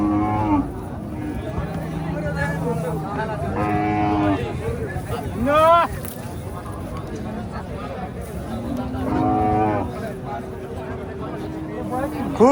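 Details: Friesian cattle at a cow market in Bangladesh: several deep, drawn-out moos rise and fall over about twelve seconds, overlapping one another, with people chatting and market bustle throughout.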